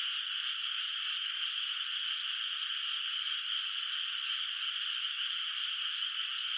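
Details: Far-off frogs fill a moonlit, unplanted rice paddy in the countryside at night with calls, blending into a thick, uninterrupted, high-pitched chorus that stays steady throughout.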